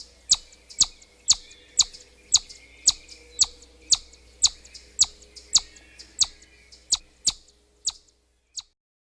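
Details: A chipmunk gives a run of short, piercing high whistles, roughly two each second, fairly even in loudness before stopping near the end, with a quiet steady hum underneath.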